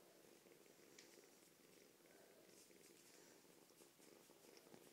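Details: Female foster kitten about eight weeks old, rescued in the fall from a busy street and described as extremely friendly, purring indoors: a steady, soft, rumbling purr held without pause, with faint scratchy rustles over it.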